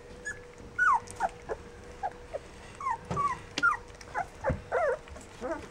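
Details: Fourteen-day-old Rough Collie puppies squeal and whimper in quick short bursts, some sliding down in pitch, several voices overlapping over a low steady hum.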